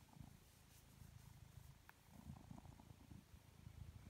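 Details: A lazy, relaxed blue British Shorthair cat purrs in a steady low rumble that pulses with each breath.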